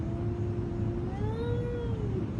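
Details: Domestic cats said to be quarrelling with each other: one long drawn-out meow, first level, then rising and falling in a wavering arc over about two seconds, over a steady low hum.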